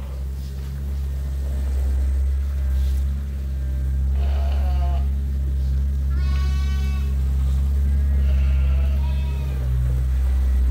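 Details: Sheep waiting for their feed during daily chores at Ewetopia Farms, a sheep farm. A few wavering, harmonic bleats rise from the flock midway and near the end, over a loud, steady low machine hum.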